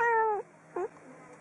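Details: Domestic cat meowing indoors: a level drawn-out mew that bends down at the end, followed by a brief falling mew; low hum behind.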